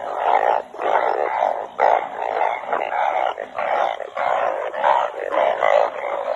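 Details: Banded bullfrogs calling together in the rain while being collected. Loud, overlapping, moaning bleats arrive in bursts about every second, with brief dips between the pulses.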